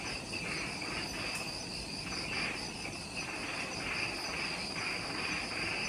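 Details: Twilight jungle insect chorus on Ishigaki Island, Okinawa, Japan, recorded just after sunset: dense overlapping high-pitched ringing trills and a softer pulsing buzz at mid height, all continuous, over a low hiss.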